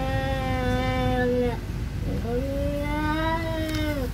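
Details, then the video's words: Siamese cat in a territorial fight with an orange cat that will not leave its territory; long, drawn-out low harmonic yowls, one held about 1.5 seconds, then a slowly rising and falling wail, over steady low background noise. "Cats fighting over territory"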